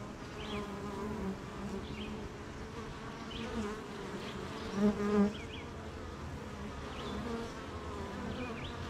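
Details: Honey bees humming at their beehive on a rainy morning, colony busy making honey amid gardens, farms and fields; a steady low droning buzz with layered harmonic tones, short high bird chirps breaking through now and then.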